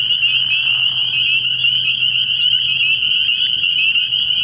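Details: Massed spring peepers calling after dark at a pond early in the year, a bright, sustained high-pitched trilling chorus with a faint low hum beneath.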